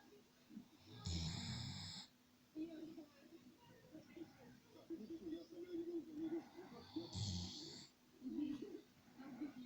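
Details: Khan, a Dobermann, sleeping and snoring like a human: two loud, rasping, low snores roughly six seconds apart, with softer breathing and murmuring voices in between indoors.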